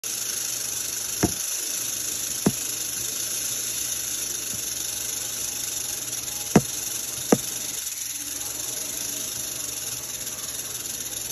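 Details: Western diamondback rattlesnake (Crotalus atrox) producing a steady, dry, hissing buzz that runs without a break, broken by four sharp knocks.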